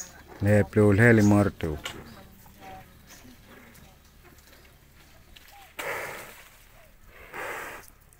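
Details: Cow; moo; calling its companions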